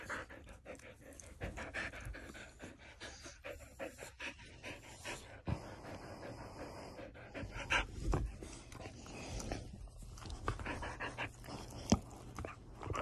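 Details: Morning panting from a Border Collie: a steady train of fast, airy breaths, broken by occasional sharp clicks and thumps, with faint background hiss.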